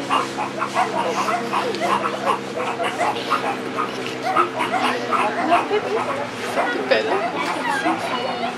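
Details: Meerkat (Suricata suricatta) group gives rapid, harsh yelping-barking alarm calls from many members as an ultralight plane drones overhead, treated as an aerial threat; pups hide until the alarm calms.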